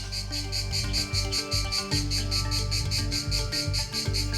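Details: A male cicada in the wilds of Thailand sings its ear-piercing mating call, a shrill, pulsing buzz of about five pulses a second, made by flexing drum-like timbal organs in its abdomen to attract a female.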